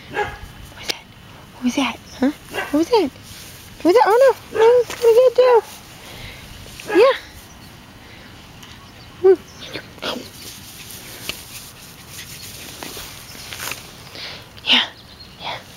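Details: Hansel, a seven-week-old male red sable parti Pomeranian puppy born 3-17-2013, gives short arched whining yips mid-clip during play, amid a person's coaxing speech and brief handling noises.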